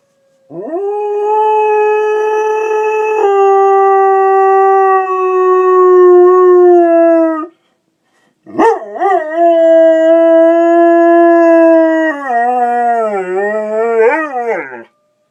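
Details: Mandy, a pet dog, howling along with a fire alarm: two long, loud, drawn-out howls split by a short pause, the first held steady, the second wavering and dipping up and down near its end.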